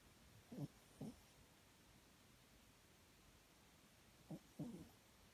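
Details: Sleeping Papillon, lying in an unusual position, gives low rasping snores in pairs: two near the start, a long quiet gap, then two more, each brief and throaty.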